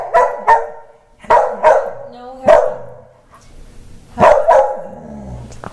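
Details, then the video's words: Mickey, a male Wheaten Terrier, vents his anger after a haircut with sharp, loud barks in quick pairs and triplets, separated by short pauses, while a woman's voice talks in the background. "Mickey the Wheaten Terrier Throwing a Tantrum"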